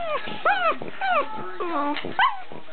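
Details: A pug gives short, wavering howls that rise and fall, reacting to an Australian Shepherd popping bubble wrap, with a person talking over them.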